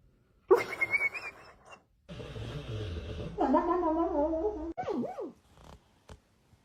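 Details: Sleeping dog, dreaming and falling down, makes high whining whimpers with a rising, strained start, then a low grumbling rumble, then a wavering tonal moan, ending in a short swooping yelp, with quiet pauses between.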